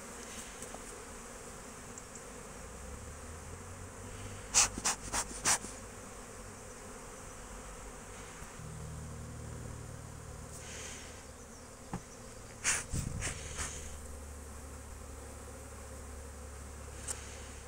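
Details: At an apiary in March 2024, foraging honey bees hum steadily while two bursts of quick, loud clicking and knocking break in, with low rumbling noise underneath in the second half.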